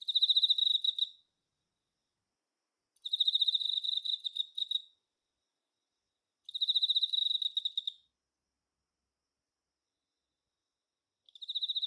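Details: A male Emma field cricket (Teleogryllus emma) chirps in clear, pure-toned trills like a rolling bell, each burst about a second long; males call through the night to attract females.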